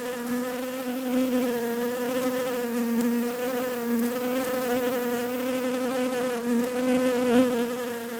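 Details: Buzzing bees make a continuous low drone, rich in overtones, with small wobbles in pitch and a nearly even loudness throughout.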